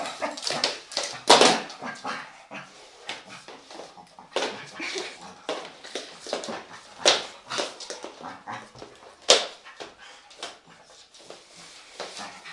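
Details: Irish Terrier dog at home, playful while the place is tidied, playing with and reacting to a vacuum cleaner; irregular sharp yips and whimpering bursts, loudest near the start and at several later peaks, with scuffling in between.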